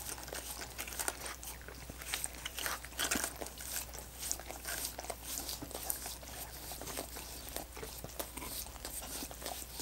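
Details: Dogs work at frozen coconut water popsicles with quick, wet licks and sharp icy crunches that crowd together without a steady rhythm. A constant low hum runs beneath, and no voices are heard.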